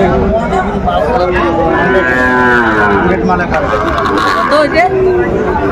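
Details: Lowing of cattle at a cattle market in Faridpur, Bangladesh, where Sahiwal bulls and young Sahiwal cattle are being sold; a long, harmonic, drawn-out moo rises and falls in the middle, over steady crowd chatter and bargaining voices.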